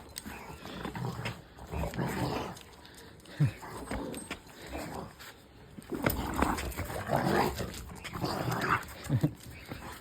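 Deep, chesty barks from a Rottweiler come in short bursts, mixed with low rumbling growls. People can be heard talking nearby between the barks.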